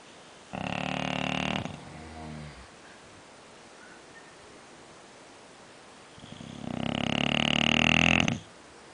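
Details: Scofield, an English Bulldog, snores loudly: a rough, rattling inhalation, then a softer fading tail, a few seconds of near-silence, and a longer, louder snore that swells before stopping abruptly.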